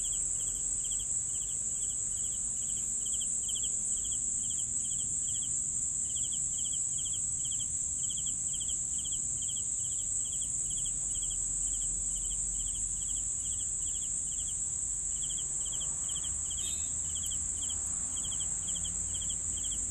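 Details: Crickets chirping in an even, fast rhythm of short pulsed notes, about three per second, over a constant shrill high drone; a brief faint extra sound near seventeen seconds.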